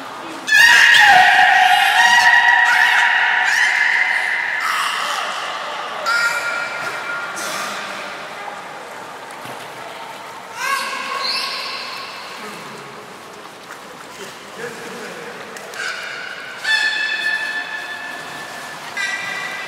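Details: Belugas Nana and Niko during a training session at Port of Nagoya Public Aquarium, 7 October 2018, indoors. Bursts of harmonic, squealing tones recur throughout, some long and level, others short and rising, with room echo between them.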